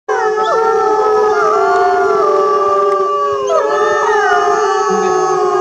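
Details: Several timber wolves (Canis lupus) at Asahiyama Zoo howl together, long sustained tones overlapping and sliding between pitches.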